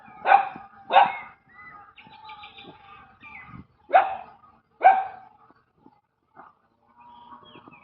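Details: Street dogs giving four loud barks in two pairs, with faint whining and yelping between them and a low background murmur.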